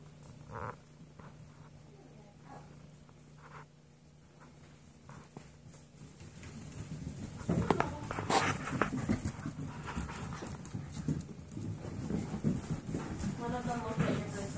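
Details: Golden Retriever mix foster puppies, seven weeks old, at play outside the playpen; quiet at first, then rising scuffles, soft growls and bursts of thin, wavering whines toward the end.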